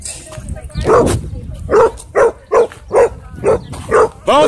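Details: Dog at a dog park during a conflict between a Bull Terrier and a German Shepherd: loud, sharp barks repeated about every half second, seven in a row after an opening bark, with a person's voice briefly audible.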